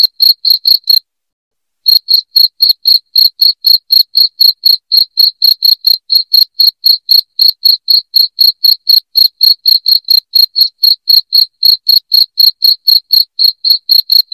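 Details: Cricket sounding loudly, offered as a rat repellent for the house; after a short silence near the start, a long unbroken run of crisp, high-pitched chirps follows, evenly spaced around four per second.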